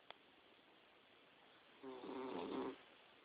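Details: Napping Boxer puppy, four to five months old, lying in bed indoors, lets out a single rough rasping snore lasting nearly a second, preceded by a small click.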